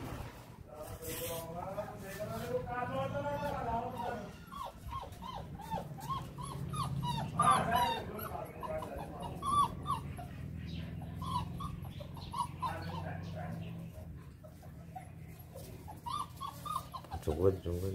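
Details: Young male Great Dane puppy kept at a kennel in Jaipur, India, whining steadily with wavering, quivering whimpers and brief yelps, while people talk soothingly nearby over a low hum.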